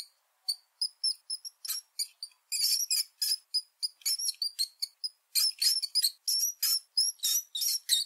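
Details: Mouse squeaking: rapid, very high-pitched chirpy squeaks in dense runs, some with short upward or downward slides, several per second, broken by a few brief pauses, with no other sounds.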